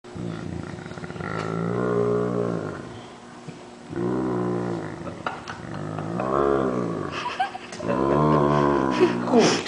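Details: Great Dane groaning while a person pretends to bite his paw, sounding like a water buffalo: three long, low, harmonic moans, each drawn out for one to two seconds, with short pauses between them.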